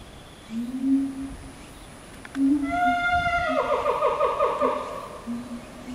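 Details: Chimpanzees from the Ryu family group, led by boss male Ryu with twin young females: soft low hoots build into long rising harmonic calls, then a rapid pulsed panting series, ending with a few more low hoots.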